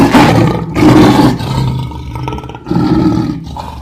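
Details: Lion roaring in close succession: three loud, throaty bursts with rumbling undertones separated by brief quieter breaths.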